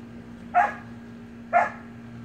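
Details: Two crisp, high puppy yaps about a second apart from Samoyed siblings romping in a pool, with a faint steady hum underneath.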